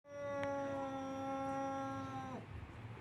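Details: Siamese cat calling because it wants to visit a ginger cat: one long, steady, strangely even yowl lasting about two seconds that drops abruptly at the end, followed by quiet room noise.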